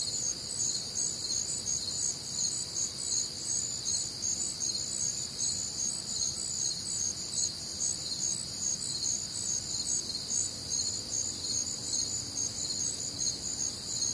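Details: Crickets with other nocturnal sounds on a humid Midwestern summer night: sustained, high shrill chirps repeat in rapid overlapping pulses from numerous insects, forming a steady background chorus throughout.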